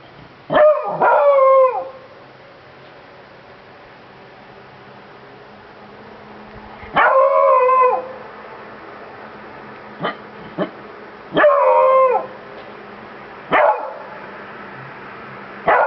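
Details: Beagle named Bruno baying in bursts: three long howled bays each about a second, falling slightly at the end, separated by short sharp barks, with quiet indoor hum between calls.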